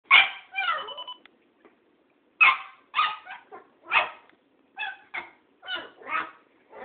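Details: Cairn Terrier named Tara barking while confronting an old tomcat called Thoman; sharp, bright barks in quick bursts of two or three, separated by short pauses, with no other clear sounds.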